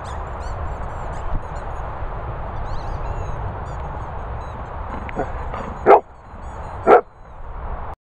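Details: Two dogs at play, Coco the Labradoodle and Rufus the Wheaten Terrier, fooling around; two sharp, loud barks about a second apart near the end, with faint high squeaks early on over a constant background rush.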